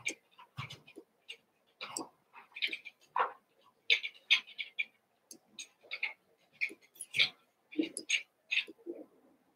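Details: Cavalier King Charles Spaniel puppies from two litters, Daisy's six and Robin's two, merged and at play: rapid high-pitched yips and whiny squeaks tumbling over each other, some brief lower barks, and light clicking of movement.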